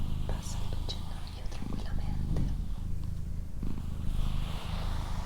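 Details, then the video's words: Low, continuous purr from Doroti, a female house cat, rumbling in pulsed stretches with brief breaks every second or so, while quiet whispered speech and faint clicks sit above it. "Cat Purring"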